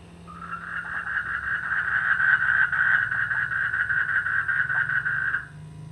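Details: Chorus of frogs croaking in rice fields in the rainy season, a rapid grating trill swelling to full strength and holding for several seconds before stopping abruptly, with a low background hum.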